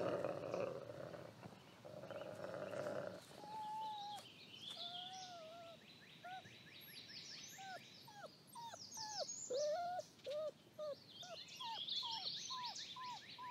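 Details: Wolf family with Lighthawk, a father raising seven relentless pups: a low rumbling growl at first, then a run of short arched whines repeated rapidly, some loud and bent, with high chirping overhead.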